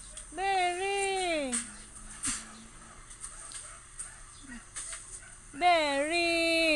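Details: Arguing Siberian Husky giving a long, sliding whine that falls in pitch, a quiet gap with faint small sounds, then a louder, sustained, wavering howl-like cry to the end.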